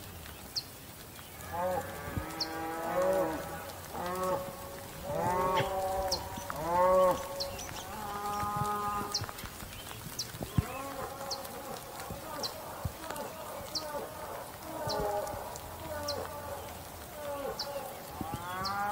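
A bull bellows in a run of deep, drawn-out moos rich in harmonics, with faint chirps above.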